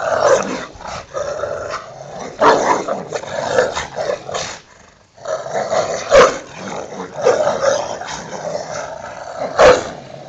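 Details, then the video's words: Two pet Rottweilers at play in a back yard, fighting over their toy: harsh rasping growls in uneven bursts with a brief quiet gap midway and sharp snarling peaks. "my hounds fighting over there toy"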